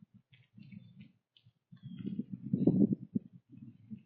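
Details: Early-morning breakfast of corn for a whitetail doe and fawn in the autumn woods: steady low grinding and crunching that swells to a louder burst, then eases, with soft faint birdsong overhead.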